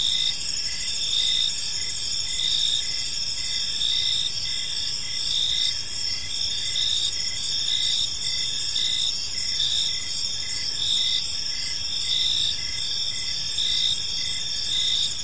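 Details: Gentle chirping of crickets in a serene park as evening falls: layered high trills and regularly spaced pulses form an unbroken chorus, with only low background rumble beneath.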